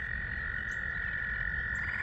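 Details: In spring at a farm pond full after a day of rain, a loud frog chorus that has just begun holds a steady, high, continuous trill from many callers; two kinds of frog are calling, heard as spring peepers and tree frogs.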